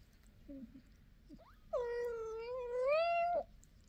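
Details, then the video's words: Talkative mother cat calling to her kittens: a short soft chirp, then one long, steady, harmonic-rich meow of about two seconds that rises slightly near its end, indoors and quiet otherwise. "Lullaby for cat babies: very talkative mom cat."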